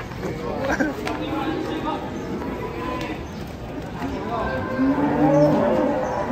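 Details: Agitated cow coming down off a truck, frightening onlookers: a deep, drawn-out harmonic moo swells near the end, over steady chatter of people talking nearby and background crowd noise.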